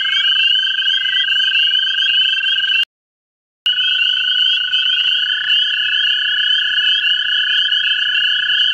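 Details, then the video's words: Several American toads looking for mates in a vernal pool in central Ohio give long sustained musical trills that overlap into a continuous chorus, broken by a brief silent gap near three seconds. "American toads in a vernal pool"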